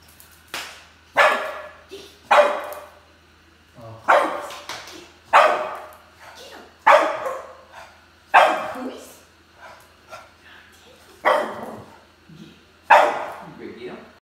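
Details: A Boston terrier barks at a Christmas Boston terrier inflatable, giving a string of sharp, harsh barks at irregular intervals of one to two seconds, with low hum between them.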